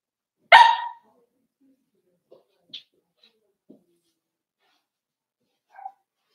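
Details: Cavalier King Charles Spaniels indoors, four-week-old puppies meeting other household dogs: a single loud, sharp bark opens, followed by scattered soft snuffles and one brief faint squeak near the end.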